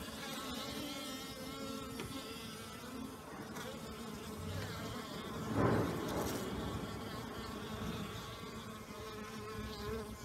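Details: Busy honey bees flying on a mild new-year day after last night's torrential downpour; a steady droning hum from a crowd of bees, rising briefly into a louder close pass just past the middle.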